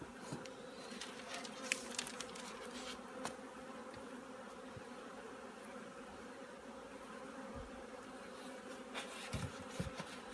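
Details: Honey bees at an apiary, the colony being readied for winter: a steady, low droning hum runs throughout with faint layered overtones, scattered small clicks and crackles, and a few handling knocks near the end.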